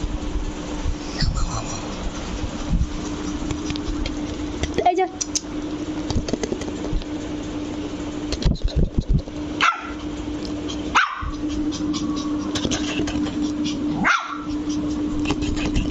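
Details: Luci the Lhasa Apso puppy, angry, gives a few isolated sharp barks spaced a second or more apart in the latter half, with human speech and a steady low hum throughout.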